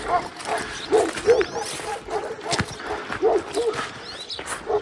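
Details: Kangal shepherd dog, one of the pair named Duman and Beraz, taken into wolf territory, barking outdoors in short, rough barks that come in pairs and repeat irregularly, with wind noise and faint voices in the background.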